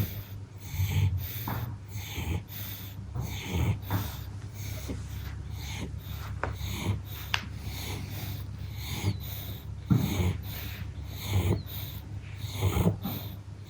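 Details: Pug asleep after heavy playtime, giving soft wheezy snorting breaths roughly every second and a half, each a brief rasping burst over a low steady indoor hum.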